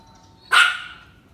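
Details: Single sharp bark from a dog reacting to someone passing in front of the house, with a brief ringing tail fading over about half a second and a faint steady tone in the background.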